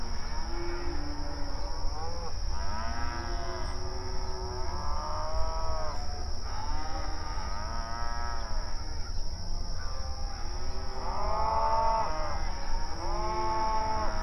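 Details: Open range cattle grazing on outdoor pasture, mooing and calling to one another; many overlapping drawn-out moos with arched harmonic stacks sound throughout, several animals at different distances, over a steady low rumble and a constant high hiss.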